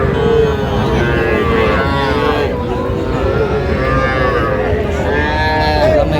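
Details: Young Sahiwal bull and heifer calves at a Jamalpur cattle market in Bangladesh, 14 June 2025; overlapping lowing calls rising and falling beneath busy market voices and steady background din.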